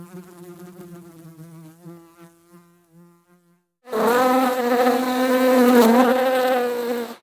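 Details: Bees buzzing while pollinating flowers: a faint, wavering hum at first, then a loud, steady, droning buzz with a low pitch and rich overtones that holds for several seconds, slightly wavering in pitch.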